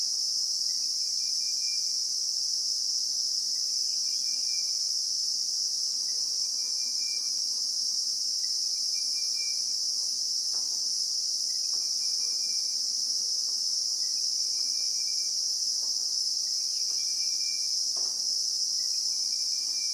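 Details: Bushveld in South Africa, recorded in real time: a Christmas beetle (Anoplognathus) gives a relentless, even, high shrill, while short faint whistled notes repeat every two seconds or so and scattered soft clicks sound in the background.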